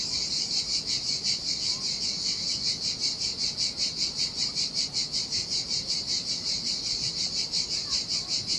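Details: Chorus of cicadas in the heat by the sea on a deserted Sardinian beach, a high sizzling drone beating in regular pulses roughly every half second, a gentle low wave wash underneath.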